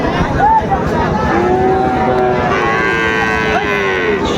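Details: Sahiwal calves at a crowded Bangladeshi cattle market in Mymensingh, 30 May 2024: a short high call, then a long level moo with clear harmonics stretching over two seconds amid constant human voices.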